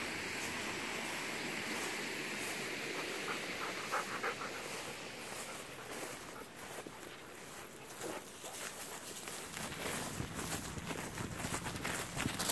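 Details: Golden retrievers Kohaku and Ibuki out for a walk in an October rice field where stubble has sprouted green again after harvest, panting in fast rhythmic breaths about three or four times per second amid rustling footsteps and open-air rural background.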